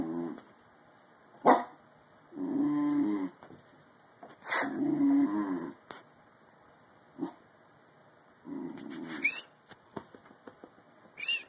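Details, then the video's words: Bull Terrier puppy in mid-yawn. Repeated drawn-out, low, voiced moans about a second long alternate with clicks and brief high squeaks, over a faint background hiss. "bull terrier puppy yawning funny"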